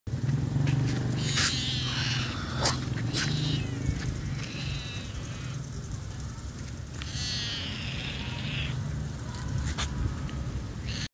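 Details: Hungry cat crying for food, giving several drawn-out, wavering meows spread through the recording over a constant heavy low rumble and scattered clicks.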